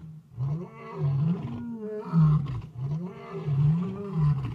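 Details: Wild lions at Talamati, Kruger National Park, roaring at night: a continuous series of deep, groaning roars with wavering pitch, several pulses building and overlapping, no other sounds.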